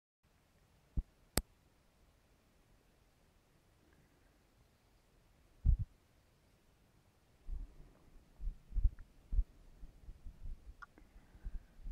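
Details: Near-silence with a few sharp clicks and handling knocks, then low rumbling wind buffets.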